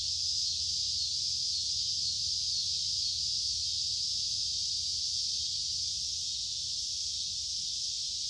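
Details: Cicada calling in summer, a steady, unbroken high-pitched buzzing drone that holds the same level throughout, with faint low rumble underneath.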